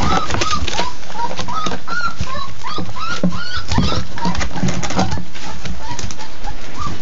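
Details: Labrador Retriever puppies at their first real meal: repeated short high whimpers, each a brief rising-falling squeal, several per second from more than one pup, over constant low rumbling and clatter.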